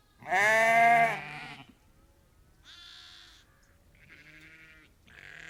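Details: Ewes and lambs calling, a flock of about 30 to 50 on a farm; one loud, vibrating bleat at the start, then quieter, higher bleats from other sheep further off.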